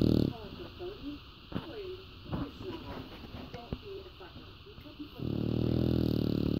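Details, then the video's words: A female English Bulldog, lying on a man and holding him captive, snores with loud, low, rasping rumbles at the start and end while he talks in between. "Snoring English Bulldog"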